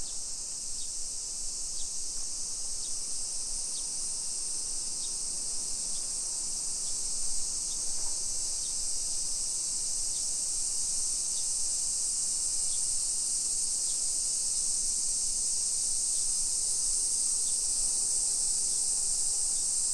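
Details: Summer cicadas in a hillside residential neighborhood of Nisshin city, suburban Nagoya, Aichi Prefecture, Japan, at 1 PM on 28 July 2021: a steady, hissing high-pitched drone, unbroken for the whole stretch, with faint regular ticking beneath.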